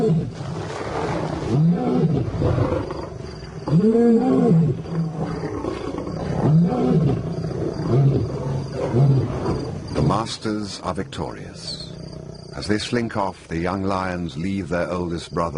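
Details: African lion uttering a series of short, deep grunting roars spaced one to two seconds apart, each rising and falling, trailed by harsher, broken bursts of noise in the last few seconds.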